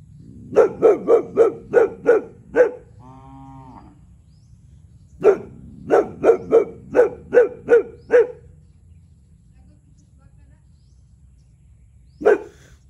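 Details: Territorial one-year-old male Boxer barking nonstop at a neighbouring cow: two bursts of about seven sharp, evenly spaced barks separated by a short pause, then a single final bark after several seconds of quiet.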